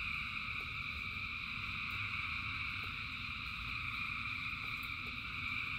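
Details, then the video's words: Frogs singing in the rain in great numbers, a continuous shimmering chorus with no breaks or distinct single calls, layered above a constant deep murmur. "Frogs in Rain 2 Hours of Frogs, Thousands of Frogs Singing"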